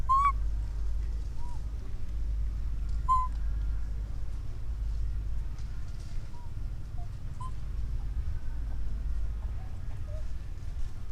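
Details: Baby monkey, orphaned, calling out for its mother: one bright rising whistle opens, followed by a few softer, shorter squeaks scattered over the rest, with a continuous low rumble throughout.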